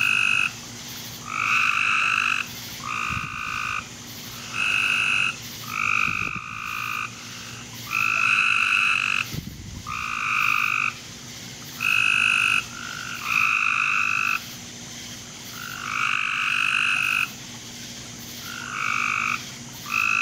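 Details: Frogs calling in a backyard at night, 10:45 pm on July 24, 2017: overlapping bursts of rough, buzzy croaks lasting about a second each, repeated almost without pause from several callers, with a faint steady hum beneath.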